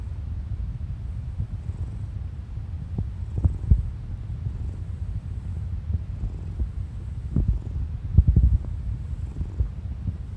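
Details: Kuri, a ginger tabby pet cat, purrs in a steady low rumble. Occasional gurgling stomach noises from a person the cat lies against sound through it.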